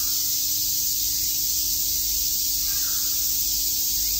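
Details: Summer day at Shakujii Park in Tokyo, where a massed cicada chorus makes an unbroken high-pitched shimmering drone throughout, with one faint brief lower call midway.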